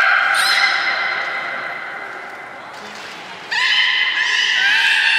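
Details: Belugas playing after feeding at Port of Nagoya Public Aquarium, 27 January 2019: a long sustained harmonic whistle, a brief lull, then a loud burst of bright overlapping whistles.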